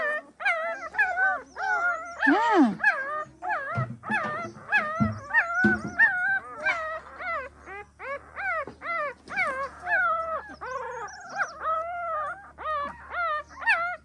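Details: Pahadi dog mother watching over her puppies, with a dense run of high, whining yelps that bend up and down, about one or two every second, some overlapping, over a low steady hum.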